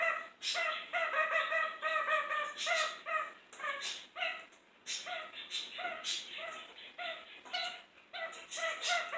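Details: Kakariki indoors in a kitchen, cheeky and noisy: a busy run of bright, nasal chattering notes with layered harmonics, repeated almost twice a second in uneven bursts, continuing through the whole stretch.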